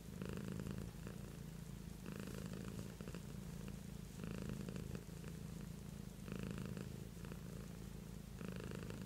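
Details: Low, throaty purring from the pet cat Beatrice, rhythmically swelling into harsher buzzing bursts about every two seconds and dipping between them, steady for the whole stretch.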